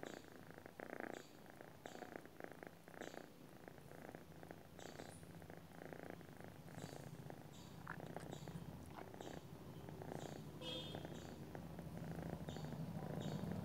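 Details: Domestic cat purring in its sleep: continuous low vibrating rumble with rhythmic pulses of breath, growing slightly louder toward the end, nothing else prominent.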